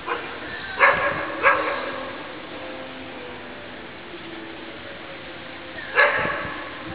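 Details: Eight-month-old Deutsch Drahthaar Guarda, offspring of Gaia, barks twice in quick succession, then falls quiet before one more loud, ringing bark; faint background hiss throughout.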